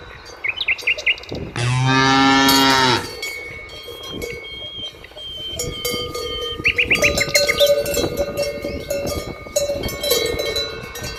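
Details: A cow in nature gives one long, steady, low moo lasting about a second and a half, loud and full, while cowbells ring repeatedly and small birds twitter briefly before and after.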